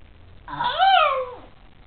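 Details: Shiba Inu named Kuma yawning while waking up and stretching in the morning: one drawn-out, whiny vocal yawn rising then sliding down, lasting about a second in a quiet indoor room.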